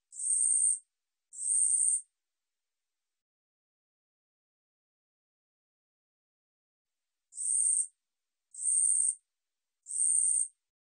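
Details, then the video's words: Two sharp buzzing chirps from the katydid 우리여치, then a pause of several seconds and three more evenly spaced high rasps; 2020 National Institute of Biological Resources recording, clean background. "우리여치, 여러번 듣기, 곤충소리"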